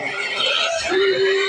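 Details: Native pigs noisy with hunger as feed mixed with rice bran is prepared give a loud, sustained, strained squeal, broad and harsh, with a steadier tonal note emerging in its second half.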